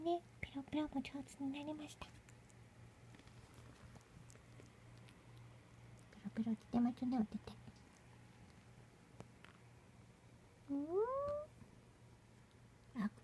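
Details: Munchkin kittens, 29 and 30 days old, giving short tonal mews in brief bursts separated by quiet pauses, including a clearly rising mew near the end, over a low steady background hum.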